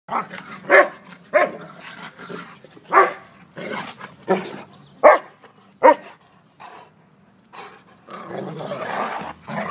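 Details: Old English Sheepdog playing with a poodle, giving short sharp barks at irregular intervals of about a second, with low growling between them and some rustling toward the end.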